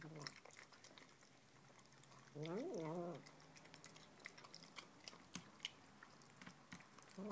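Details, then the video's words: A female Tonkinese kitten lets out a short, wavering, almost human-sounding 'talking' mew while she eats, amid soft chewing clicks. "Tonkinese kitten making 'human' noises when she eats!!!"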